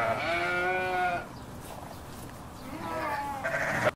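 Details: A sheep on a farm gives two drawn-out, wavering bleats with a pause between them.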